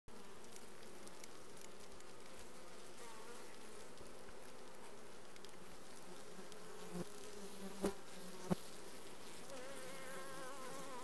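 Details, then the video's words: Honey bee colony, requeened, June 2020: a dense, continuous low buzzing hum of many bees, steady in level, with a few sharp clicks near the end. "Bees june 2020 requeened"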